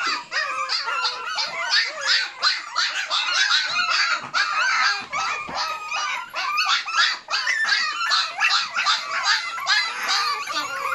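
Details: Several Malshi puppies, six weeks old, keep up a busy chorus of shrill yaps and whimpering squeals, about two to three calls a second, tumbling over one another in a small indoor space.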